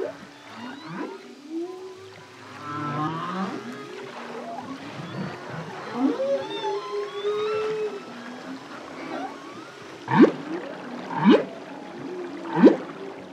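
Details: Humpback whale, a solo male, singing a varied phrase of low swooping moans and warbling tones, then three sharp upsweeping whoops about a second apart.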